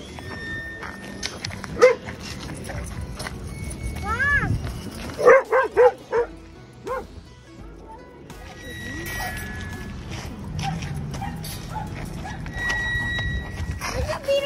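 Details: Alaskan Malamute puppy, a 10-month-old male weighing over 100 pounds, at a dog park in New York City; a few sharp barks and rising yelps in short bursts over music, with background chatter and a person's voice.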